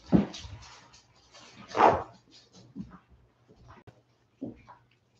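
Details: Westie puppies, 47 days old, back inside after an outdoor break, let out two loud short yips followed by softer whimpers and small squeaks spaced over several seconds, in a quiet small room.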